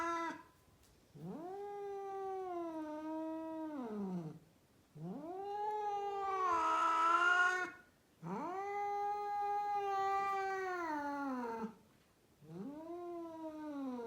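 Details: A rescued female cat in Mumbai, India, yowls repeatedly: four drawn-out, nasal wails of about three seconds each, mostly steady in pitch. They end in falling tails, and one louder, harsher cry comes in the middle.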